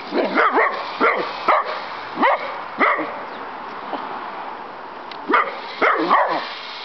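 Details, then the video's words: Pet dog Maxi goes wild outside at an old toy helicopter, giving short, rising yelping barks roughly every second, in clusters, over a constant mechanical hum. "Dog VS Hellicopter"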